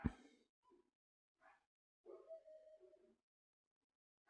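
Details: Dog giving a sharp opening bark, then two short soft yips, then a drawn-out, wavering whine-like cry lasting about a second, with quiet gaps between the sounds and no other noises.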